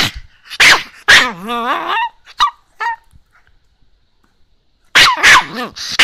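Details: Morning complaint from a Chihuahua impatient with its owner staying in bed: a couple of sharp barks, then a wavering whine-growl and short yelps, a quiet gap, and another whining burst at the end.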